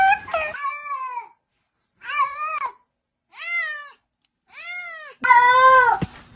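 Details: Domestic cat indoors giving a series of five arched, wavering meows, each about half a second to a second long, separated by short silences, the last one louder and harsher.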